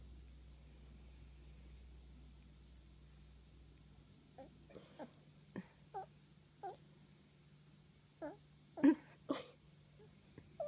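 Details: Seiya, a female pet cat, chirrups indoors: scattered short, mid-pitched chirps, some with a quick upturn, spaced a second or so apart, mixed with soft tapping clicks over a steady low room hum.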